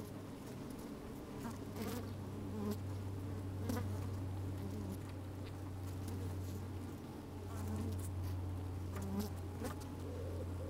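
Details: Honey bees busy at work inside an open hive on a fine, sunny day, with the microphone slid down into the hive; a steady low hum with a strong deep drone, brief higher buzzes and faint clicks, some wind.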